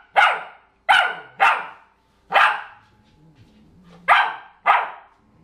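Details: Female field-bred English Springer Spaniel puppy barking indoors: six sharp, bright barks over about five seconds, spaced roughly half a second to a second apart, with a faint low hum in the pauses between them.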